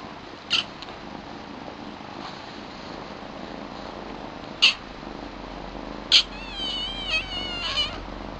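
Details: New young kittens, a female with white markings and her all-black brother, calling at home. Short, high, thin meows come at irregular gaps, ending in a wavering, drawn-out squeal with shaky overtones over a faint steady hiss.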